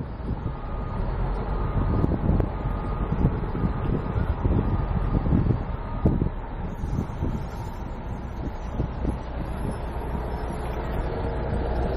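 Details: Steady low wind rumble and outdoor vehicle noise with a faint tone, no animal sound heard.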